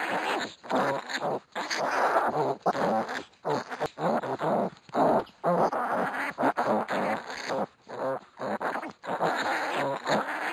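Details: Week-old pot-bellied piglets in a wrestling bout make a near-continuous stream of rough, strained grunts and squeals with only brief gaps between them.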